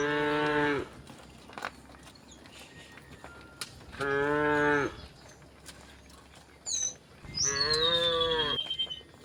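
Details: Cows walking through a village toward the fields give loud, drawn-out moos with a rich harmonic tone, several seconds apart.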